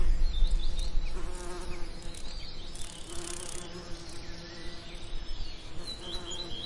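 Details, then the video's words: Lavender in summer with bees at work: several faint wavering buzzes under steady low rumble, louder passes near the start and middle, and thin bird chirps in the background. "Relaxing Lavender Summer Ambience & Bee Sound Effects"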